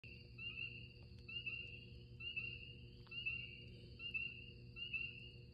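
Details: Spring peepers give short, high, upslurred peeps over a steady, shrill drone of spring crickets.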